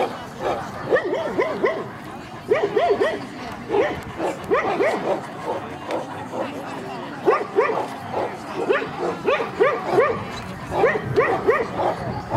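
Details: Central Asian Shepherd Dog at a club breed show in Kyiv (Krasylivka), Ukraine, on 28 September 2019. The dog barks loud and deep in quick repeated bursts, often two or three barks close together, over a steady murmur of crowd noise.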